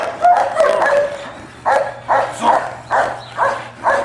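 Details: German Shepherd dog named Scarface, evaluated as a personal protection dog: loud, deep barks in a quick series, first a run of close barks, then single harsh barks about every half second, little background noise.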